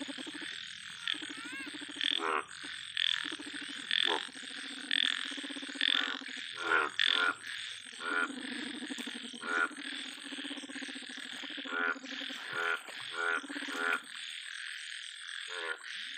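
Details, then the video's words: A big yellow frog croaks again and again, short harsh pulsed notes about once a second, some doubled, against a dense chorus of frogs and a steady high insect drone. "yellow BIG frog"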